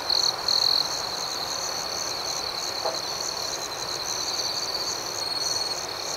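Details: Crickets chirping after dark, a dense high ringing chorus that opens with two loud trill bursts, then settles into an even shimmering drone with a faint brief lower note midway.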